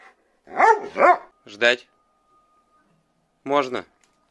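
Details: Siberian Husky indoors, indignant that its owner is late with dinner, letting out short, arching, yodel-like woo calls: a pair of rising-falling bursts, a shorter one, then a pause and a final sharp outburst.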